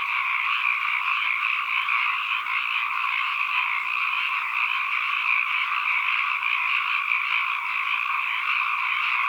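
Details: Many frogs calling together in an ambient recording, a continuous massed croaking chorus that holds two steady pitch bands, shimmering slightly but never pausing, with no other sounds.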